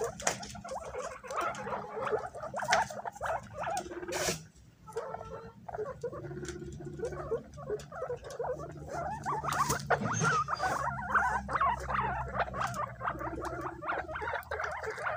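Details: Pet guinea pigs jostling to eat bananas, squealing high when something approaches; rapid chattering squeaks overlap with soft pattering and rustling of feet and food, and a few sharper knocks.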